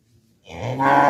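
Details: Cow giving a moo that swells from a low murmur into a loud, full-throated bellow, rising in strength and held to the end of the brief excerpt.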